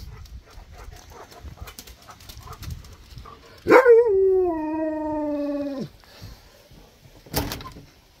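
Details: Husky giving one long howl of about two seconds, starting with a sharp rise then sliding slowly down in a steady tone before cutting off; faint background noise and a brief knock afterward.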